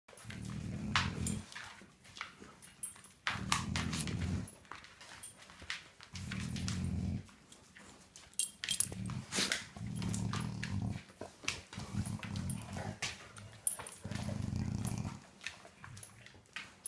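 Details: Sleeping English Setter dog snoring indoors, recorded 10-12-15; low rumbling snores come in bursts of about a second, repeating roughly every two seconds, with faint clicks and rustles between breaths.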